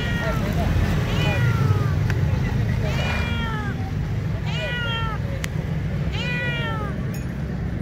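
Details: Several hungry stray cats on the street crying for food, a run of four or five wavering, downward-sliding meows every second or so, with constant deep rumble and a sharp click midway.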